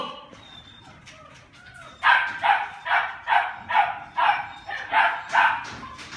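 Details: Border Collie at a breeding session in Long Biên, Hà Nội, on 4 February 2016. After two quiet seconds, a run of seven sharp, even barks comes about twice a second over a low background hum.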